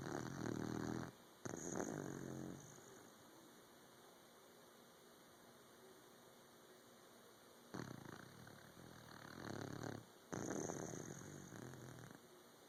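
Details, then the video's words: Sleeping puppy snoring in a quiet indoor room: several low, rasping breaths with a buzzy, harmonic rattle, grouped in bursts near the start and again later, separated by long quiet pauses. "Snoring Puppy"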